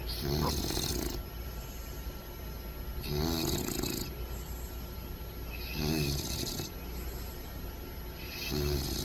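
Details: Loud snoring from a sleeping puppy, with rough buzzy inhalations about every three seconds and a hissy rush on each breath. Steady background hum between snores.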